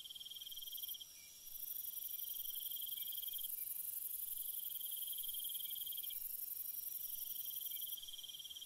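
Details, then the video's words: At night, crickets keep up long high trills that break off briefly and resume, layered over a constant very high insect whine in a still, quiet setting. "Cricket Sounds"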